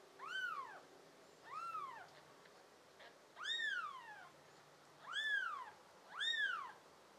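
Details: Five blue-eyed pet kittens, American Shorthair and tabby, recorded in June 2022. Repeated clear meows swoop up and down, five calls in about seven seconds, with a short pause in the middle and soft indoor background hiss.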